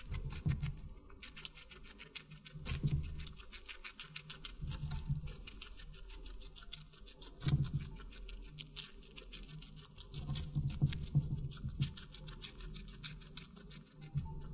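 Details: Watermelon-eating guinea pig: continuous wet crunching and chomping, with strong bite bursts near three, seven and a half, and ten to twelve seconds between softer rhythmic chewing.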